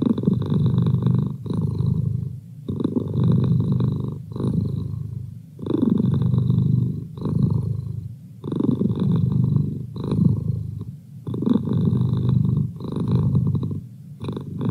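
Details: Merlin the house cat purrs continuously, a deep buzzing rumble pulsing in regular waves roughly every one and a half seconds, nothing else audible.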